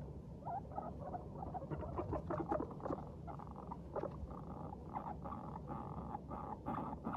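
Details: Cheerful domestic guinea pigs, Teddy and Abyssinian breeds, chatter as they walk lightly. Quick bursts of short mid-pitched squeaks come in uneven runs of about two or three per second, with rustling bedding below.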